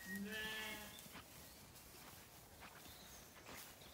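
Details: Zwartbles lamb in a farm orchard in County Kilkenny, Ireland, on a warm evening; a single short bleat at the start, then quiet rustling background noise.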